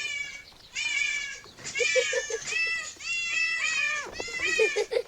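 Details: Cats out in a park with a family. Four or five clear, bright meows come in quick succession, each arching up and then falling, separated by brief pauses.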